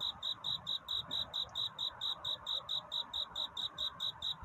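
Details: Night-time cricket courtship song, sung to find a mate: bright, high-pitched chirps evenly spaced about twice each second, clean and regular against faint background hiss.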